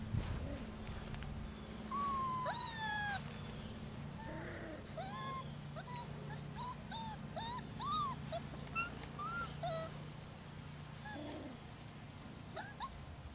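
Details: Several six-week-old rescue puppies, Holly's litter of six males and four females, give thin rising and falling whimpers and squeaks scattered across the recording, some overlapping, over a steady low hum.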